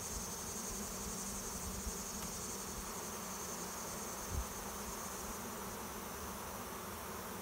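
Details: Swarm of honey bees arriving at a swarm trap behind a garage after flying overhead as a cloud; a dense, steady hum fills the air with a low drone band, a faint high whine and a brief thump near the end.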